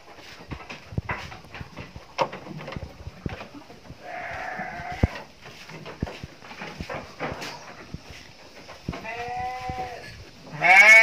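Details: Female Garut sheep kept in a pen bleat several times: a faint, hoarse bleat near the middle, then a clearer wavering bleat, and finally a loud one that is cut short. Scattered clicks and knocks are heard throughout.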